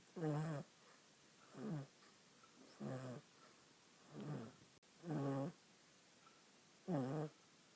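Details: Small female pet monkey asleep on a person, dreaming during a nap, snoring; six throaty, rasping snores, each about half a second long, repeat at a steady pace of roughly one per second in a quiet room.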